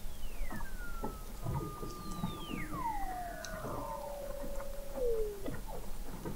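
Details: Under thick sea ice in McMurdo Sound, Antarctica, Weddell seals recorded in November 2017 from an observatory 21 m down: overlapping descending glides, one falling in steps from high to low, over soft ticking background.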